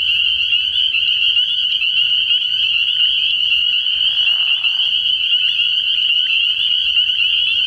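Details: Many spring peepers chorus at a frog pond at night early in the year, their shrill high peeps merging into a steady ringing wall of sound, broken by one short lower rasp midway.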